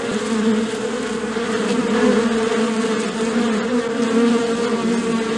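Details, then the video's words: Bees humming in a dense, steady drone with a low hum and a brighter overtone above it, gently wavering in loudness throughout. "Bee Sounds | Bee Humming Sounds, Collective Bee Sound, Bee Wing Flapping Effect Sound, Beehive Sound"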